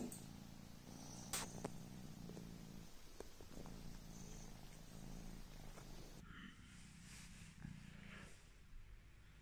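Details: Quiet, steady purr of Coco the sleepy Devon Rex kitten, a soft low rumble running throughout, with occasional taps and a shift in background hiss partway through.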